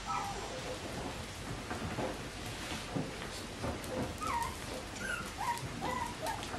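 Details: Several faint, squeaky whines from Bichon Frisé puppies at a kennel, short bent notes coming in a quick cluster near the end, over steady hiss and soft thumps.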